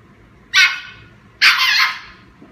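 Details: German Shepherd puppy teasing another puppy with a toy; two sharp, harsh barks about a second apart, each bright and short with a slightly longer second one, in an otherwise quiet setting.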